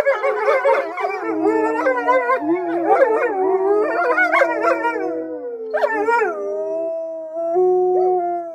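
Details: Several gray wolves in an enclosure around a lodge at Polar Park, Norway, howl together in a chorus of long, smooth tones sliding up and down and overlapping, heard from inside the lodge.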